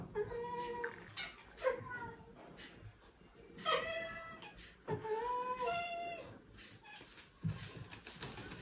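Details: Cat giving a sequence of brief chirping calls, each sliding downward with rich harmonics, spaced about one to two seconds apart, with faint background noise.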